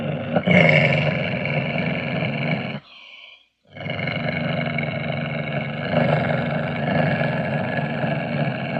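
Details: Ocelot giving a long, rough, throaty growl with a rasping buzz and layered harmonics, broken by a short silent gap near three seconds before the rumbling resumes and continues steadily to the end.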